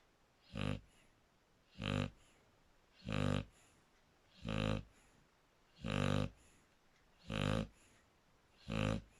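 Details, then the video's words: Draco, a Shar Pei, snoring steadily: seven loud rasping breaths with buzzy harmonics, evenly repeated roughly every 1.3 seconds, nothing else audible. "Shar pei Draco /// snoring is fun"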